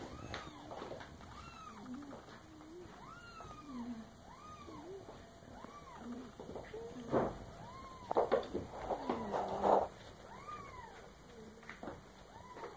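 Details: Young female cat, not yet nine months old, interrupted while drinking milk at home, repeats arched, whining meows about every second, some louder and drawn out near the end, with a woman talking quietly in the room.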